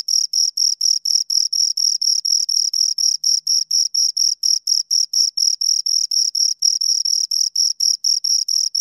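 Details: Shrill, rhythmic chirps from two crickets, short pulses following each other rapidly and evenly with a faint higher overtone, nothing else audible.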